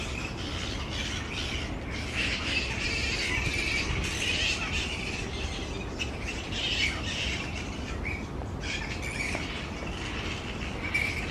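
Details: Grey-headed flying foxes in a large colony hanging upside down in tree branches, making a dense, continuous din of overlapping screechy squabbling calls, with many voices chattering at once without pause.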